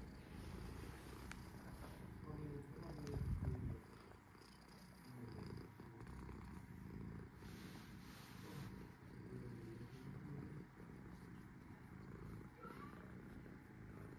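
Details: Sora, a cat at rest, purring: a low continuous rumble pulsing in steady waves, with a brief louder burst near the three-second mark and faint clicks above.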